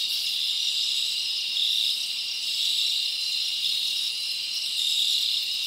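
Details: Crickets in a forest on a summer night, chirping as a constant high, thin, ringing band of overlapping trills, gently swelling and fading in loudness.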